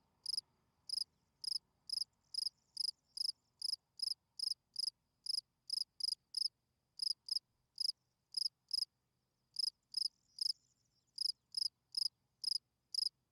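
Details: Field cricket singing at night, a calling song meant to attract females: steady series of brief pulsed chirps, high and clear, repeated roughly every half second with a few short pauses, over a quiet background.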